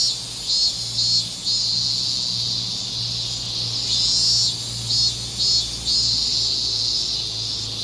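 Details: Evening cicadas in summer in Japan give a high, ringing song that swells in rhythmic bursts over a steady insect drone.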